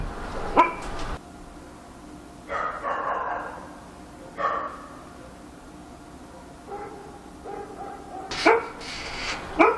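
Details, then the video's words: Dog in Korea barking at night, with scattered single and double barks separated by pauses of one to several seconds, some sounding slightly distant, over a faint constant hum. "밤중에 개짓는 소리"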